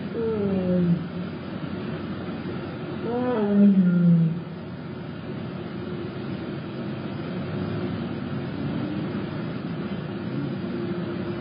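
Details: Jasmine, a tiger at Big Cat Rescue, giving a honk 'n' moo: a short low falling moan at the start, then a longer call that rises and sweeps down in deep harmonic tones near four seconds, followed by a steady low hum.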